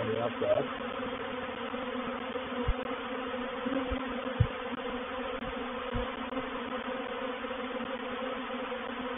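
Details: Reproductive swarm of honey bees moving into a bait hive, a swarm trap, at Painted Peacock Manor on 04/07/21; a dense, steady buzz with bands around 250 and 500, broken by a few soft low thumps.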